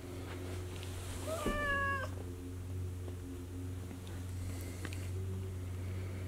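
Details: A male Ragdoll cat, playing with a fuzzy ball puzzle indoors, gives one brief meow that climbs in pitch and ends abruptly over a constant low indoor hum, with a few faint knocks and clicks.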